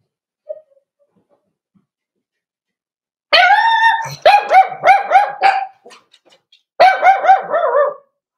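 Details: Four-week-old Cavalier King Charles Spaniel puppies in an indoor puppy pen, meeting other dogs and trying puppy mash. After a short faint squeak come two bursts of high, quavering whimpers and yelps in quick succession, with a quiet gap between them.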